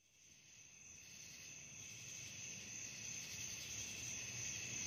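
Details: Night crickets in a continuous high, shrill chirring that fades in from near silence and swells steadily louder, two layered trilling bands running without pause and nothing else clearly heard.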